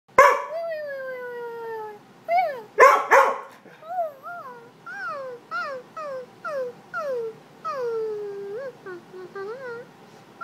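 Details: Dog vocalizing in a long run of whining, yodelling howls: a few loud opening yelps, then some twenty short tones that swoop up and down, arching and wavering, across ten seconds in a quiet room.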